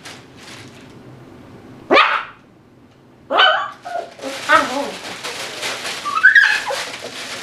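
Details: Dhali, an 8-week-old Tibetan Terrier puppy, playing among toys and chews in his x-pen. Two short, sharp yaps stand out, then a busier run of higher yelping notes mixed with rustling and clatter from play.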